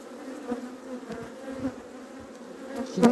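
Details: Western honey bees hum steadily as a colony in a spring hive being inspected, a low droning buzz with a sharp knock near the end.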